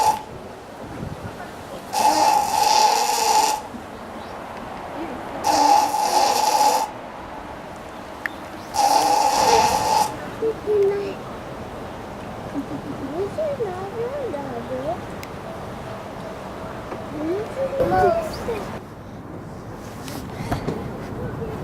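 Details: Hippopotamus at Tennoji Zoo, Osaka, resting with its face above the water, 22 January 2019: three loud rasping snore-like breaths, each about a second and a half long and spaced roughly three to four seconds apart, followed by people's voices.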